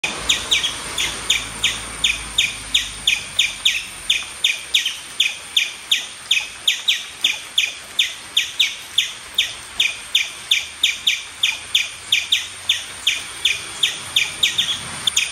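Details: An Indian palm squirrel on a tree in mild rain gives a steady series of sharp, high, bird-like chirps, nearly three each second.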